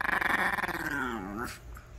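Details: An elderly Maltese gives a pulsing, rumbling growl rising into a whiny grumble while refusing to get off a blanket its owner wants to fold; Maltese.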